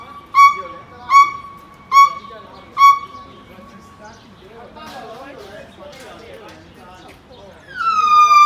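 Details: A monkey in Macau gives four sharp, whistle-like calls in quick succession, then a longer falling whistle.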